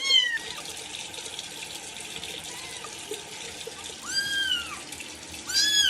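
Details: Small kittens having their first bath give three plaintive meows, each an arching, downward-curving cry, spaced apart against the constant rush of tap water filling a sink.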